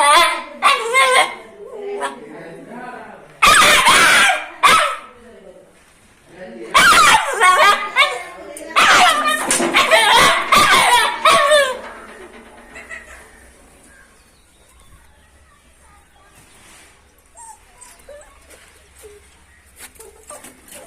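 A dog gives sharp, high-pitched yapping barks in quick clusters, then falls quiet.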